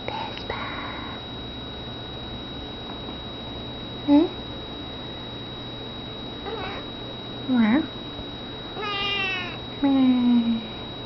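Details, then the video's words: Pet cat meowing while playing: four short meows at irregular intervals, some rising then falling, others with a flat, drawn-out tone, over a steady low hum. "Vespa meows n plays"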